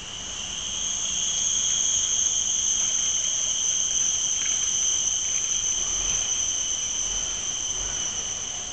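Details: Cicadas in Mt. Faber park, Singapore, keep up a steady, piercing high buzz, a continuous shrill drone that barely wavers.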